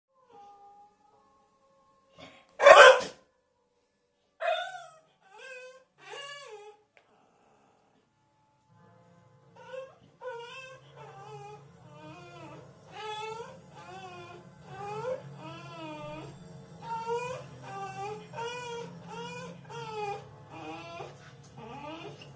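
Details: A Bull Terrier watching TV gives high, wavering whines and yelps, rising and falling in quick bursts.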